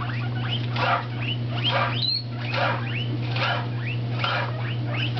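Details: Two pet guinea pigs, an orange Abyssinian and a tricoloured shorthair, wheeking while having lettuce on a new bedspread; repeated rising squeals about once a second over a constant low electrical hum.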